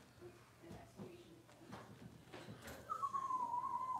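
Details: Six-week-old Cavalier King Charles Spaniel puppies, indoors in a puppy pen while being dewormed and having toenails trimmed; a thin, steady whine drifts slowly downward for about a second, after soft rustling and light taps.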